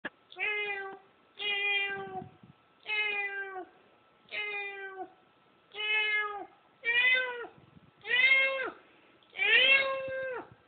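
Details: Domestic cat listening to a recording of a cat: eight evenly spaced, drawn-out meows, roughly one every 1.3 seconds, each steady and slightly falling, the last few louder and more strained, in a quiet room.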